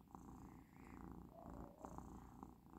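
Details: Relaxed house cat Persyk, indoors and finishing a course of medicine, keeps up a continuous low, even purr with steady rhythmic pulses and a few faint clicks, nothing else heard in the quiet room.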